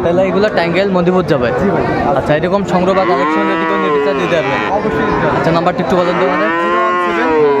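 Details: Friesian and crossbred bull calves at the Raniganj cattle market (haat) in Dinajpur, recorded 7 November 2024; two long, arching, drawn-out moos rise and fall, one midway and one near the end, over steady crowd chatter and voices.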